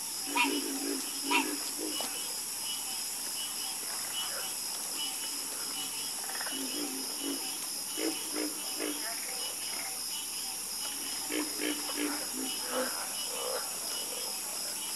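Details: Frog chorus, croaking calmly: short, low, pulsed croaks come in irregular clusters, some answering each other, over a steady high-pitched hiss that runs the whole time.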